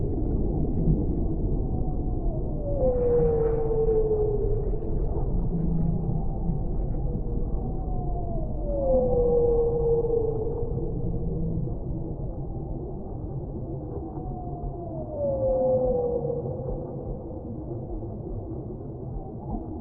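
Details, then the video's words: Whale song in a relaxation mix: long descending moans sliding from mid to lower pitch, repeated roughly every six seconds over a steady low, muffled underwater rumble. "Whale Sounds"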